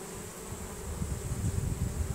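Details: Honey bee swarm moving into a new hive, bees releasing Nasanov pheromone and marching inside; a steady low buzzing hum with a faint overtone band, plus low rumbling noise.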